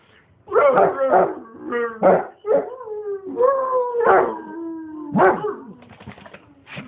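A Basset Hound howls in long, drawn-out tones that slide downward, broken by short barking yelps.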